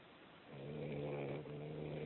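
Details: A cat snoring: after a short quiet start, a low, steady, harmonic rasp holds for about a second and a half, with a slight break near the end, over a soft background hiss.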